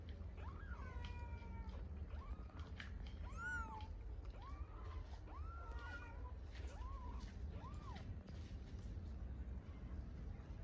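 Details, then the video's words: Stray kittens in Istanbul, hungry and calling for their mother cat, give a run of short arched mews about every second, some overlapping, with a low constant rumble underneath. "Incredibly cute kittens meow for mother cat because they are so hungry"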